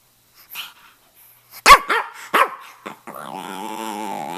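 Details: Stanley, a red rough-coat Brussels Griffon male about two and a half years old living in Miami, talking: two short arched yelping notes, then a drawn-out, steady whining moan held to the end.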